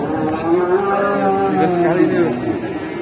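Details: Enraged charging bull in Indonesia giving a continuous wavering bellow lasting the whole moment, low and harmonic-rich, with background music.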